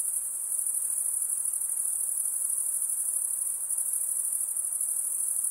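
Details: Insects produce a steady, very high-pitched shrill hum, continuous and unbroken, with a faint pulsing shimmer and no other clear sounds.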